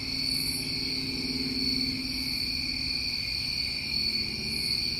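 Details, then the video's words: Crickets recorded during a New England summer sing in a steady, piercing trill, with a low droning hum underneath through most of the passage. "Tinnitus Masking With Crickets"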